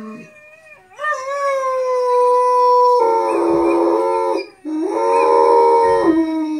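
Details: A harlequin Great Dane, howling along while watching videos of other dogs howling, gives long wavering tones that slide up and hold, then a rougher second howl; Great Dane.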